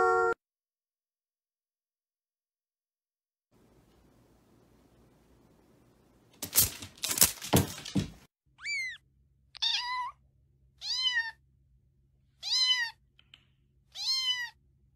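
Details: Cat in a funny pet compilation giving five short meows about every one and a half seconds, each sliding downward in pitch, after a burst of loud rustling noise and a brief quiet stretch.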